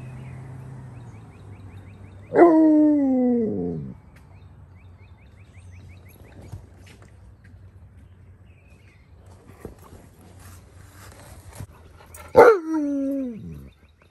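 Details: Husky sharing a pool float with a Malamute on a morning while waiting for a snack, giving two drawn-out harmonic whining calls that slide downward, about ten seconds apart, with quiet background hum between.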